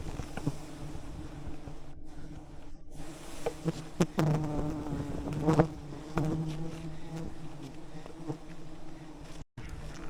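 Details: Wild bees swarming around a giant honeycomb high in the rainforest canopy, thousands of bees disturbed as honey hunters approach on ropes with smoke; layered droning buzz with individual bees passing close, pitch sliding up and down, with clicks and knocks from the climbers.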